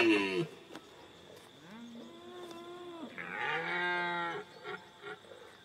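A red deer stag gives two drawn-out, deep, moaning roars, each held steady before fading.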